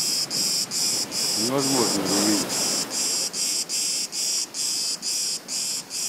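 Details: Unseen cicada by a beach gives a strident, high buzzing song chopped into rhythmic pulses about every half second; a short human voice sounds briefly near the start.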